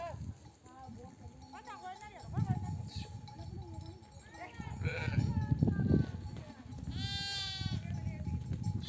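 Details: Bleating mother sheep of a nomadic herd, returned from desert pasture, calling their babies to feed. Quavering, bending bleats come early, then a strong, rich, harmonic bleat near the end over a low murmur of the flock.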